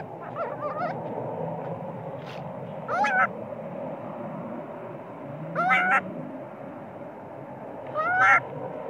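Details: Sleepy baby monkey screaming in anger at its mother, a spoiled infant that cries loudly even while nursing: three loud, quavering, bent screams spaced about two and a half seconds apart, with softer chattering cries near the start.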